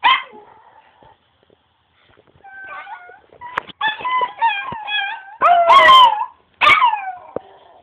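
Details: Pet Chihuahua vocalizing indoors: soft whimpers, then a run of short wavering howl notes building into louder rising-falling howls near the end, with brief yips mixed in.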